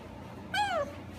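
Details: Goldendoodle puppy, one of a litter from Roos and Morty, 5½ weeks old, playing indoors with littermates: a single clear whine sliding downward in pitch, lasting under half a second, against a quiet background.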